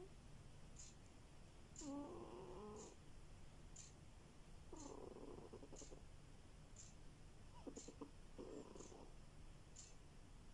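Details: A domestic cat snores in its sleep with buzzy, vibrating breaths that recur about every three seconds over a low background hum, while a soft, high tick repeats roughly once a second.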